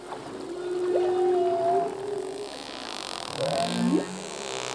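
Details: Male humpback whale song heard faintly: a long flat moan with a short upward slide, then two brief rising whoops, against a hissing wash of ocean noise.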